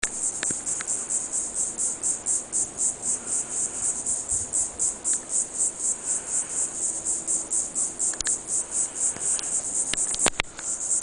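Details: A salt marsh cicada, Diceroprocta viridifascia, calls with a high, hissing buzz that pulses about four times a second.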